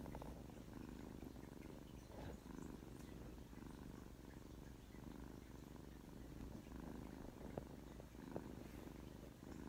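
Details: Korean shorthair house cat purring indoors, one of three male cats in a home where purring goes on all day: a steady, low, rumbling purr throughout, with faint rustles and a couple of small clicks.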